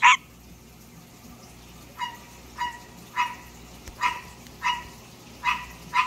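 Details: A pet male green tree frog sings during the night. A sharp click opens the recording, then a quiet gap, followed by seven nasal, barking croaks at slightly uneven intervals.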